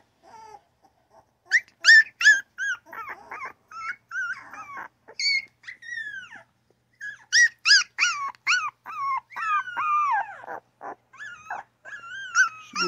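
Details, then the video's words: Newborn puppy giving a string of high whimpering cries and yaps, some rising then falling, in irregular quick bursts with short pauses, growing busier in the second half. "Newborn puppy crying, yapping and grunting!!"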